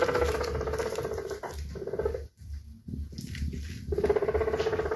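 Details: Guinea pig uttering a fast, throbbing series of pulses about four per second, with a droning mid tone that fades, drops to near quiet, then returns stronger at the end.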